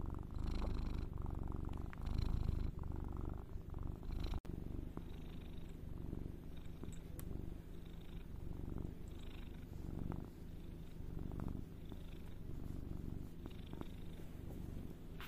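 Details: Domestic cat purr, a low continuous rumble pulsing with slow breaths, slightly louder in the first few seconds then settling into an even rhythm; a brief click near the start, otherwise quiet room.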